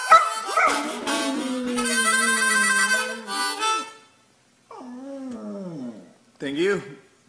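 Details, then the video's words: Pet dog singing the blues with its owner on harmonica; a drawn-out wavering howl under harmonica chords, then after a pause two shorter solo howls with bending pitch. "Dog Sings Blues With Owner"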